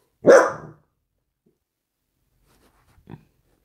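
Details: A dachshund, dozing in a loaf pose after play, gives one short, sharp bark, then near silence until a faint soft sound about three seconds later.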